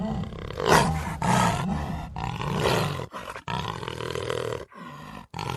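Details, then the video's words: Jaguar, Panthera onca, giving deep rasping roars in several long bursts of about one second each, broad and harsh with strong low tones, separated by short silent gaps. "Som de Onça Pintada / Jaguar"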